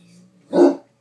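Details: One abrupt, rough bark from Kobee the Great Dane, angry at the movie "Up", rising out of near silence, with a low background hum and a woman speaking gently nearby.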